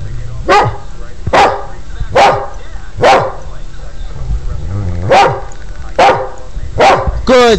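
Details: Pet Border Collie trained to count by barking, giving a string of seven sharp, short barks spaced about 0.8 seconds apart, with a pause midway, answering a man's spoken number prompts and praise of 'good'.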